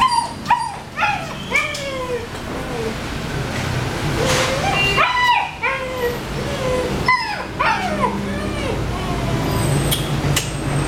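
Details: Rottweiler puppies, listed as female, whimper and yip in high, falling, quickly repeated cries.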